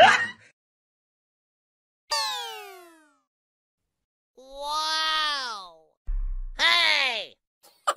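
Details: Cats or kittens in a funny compilation give a series of drawn-out meows, each sliding downward in pitch, separated by short silences, with a brief thump between calls.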